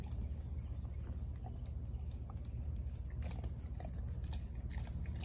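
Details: Denali, a 4-month-old female American Blue Bay Shepherd puppy, eating a raw turkey neck: irregular soft crunching and gnawing clicks over a steady low indoor hum.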